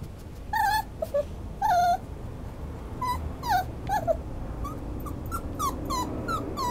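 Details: Schnauzer dog whimpering in short, thin, high whines, some dipping and curling, several louder bursts early and softer ones later, over a steady background hiss.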